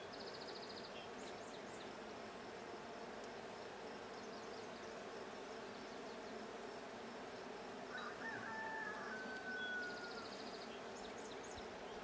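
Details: Blue hive of honey bees checked on 20 June 2022, giving a continuous low, even buzzing drone; high bird chirps appear near the start and end, and a clear whistled tone slides downward late on.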